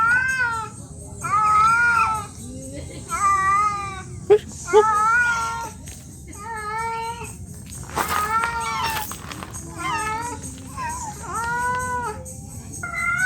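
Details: Female domestic cat in heat calling for a mate: a long series of wavering, drawn-out meows, each rising and falling in a warbling arc, repeated every second or so, with faint background hiss.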